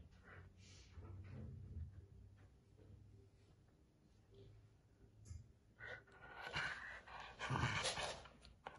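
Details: A corgi puppy pulling on a rope growls low and gruffly in play, the rumbles coming in short uneven bursts. Panting and scuffling noises build toward the end.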